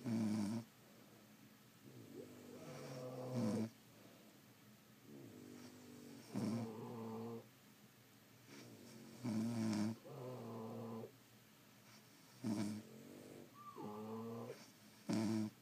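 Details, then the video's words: French Bulldogs asleep at home, more than one dog, snoring in a steady cycle of about nineteen breaths a minute: short harsh snorts alternating with longer wheezy, whistling exhales, in a quiet indoor room. "Snoring French Bulldogs"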